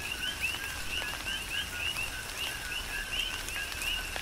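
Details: Coqui frogs on the Big Island of Hawaii calling during a tropical rain shower: short rising chirps repeat several times a second, each with a lower note, over steady patter and scattered clicks of raindrops.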